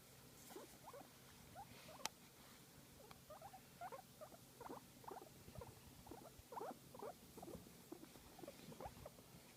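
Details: Guinea pig enjoying a massage, giving faint, irregular little squeaks and chutters scattered across the recording, with a sharp click early on and some low handling rustle.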